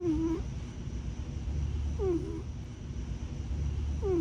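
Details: Tiger, a grey tabby foster cat and former homeless kitten turned warehouse company cat, possibly missing his brother Buddy: short squeaky descending whimper-like notes with faint overtones, about every two seconds, over a steady low rumble.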